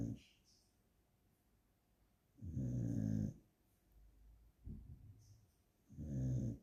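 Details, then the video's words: Resting, tired dog snores in deep rasping low rumbles, three strong breaths roughly every two to three seconds with a softer snort in between, in an otherwise quiet room. "The dog is snoring/ძაღლი ხვრინავს/Собака храпит"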